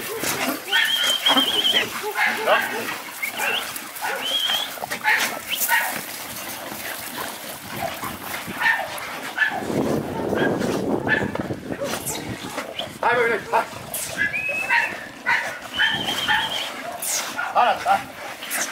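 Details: American Bully dogs at a large kennel in Romania, pocket type noted, barking and yelping repeatedly in overlapping bursts with tonal whines, while people talk throughout and a loud rustling burst occurs midway.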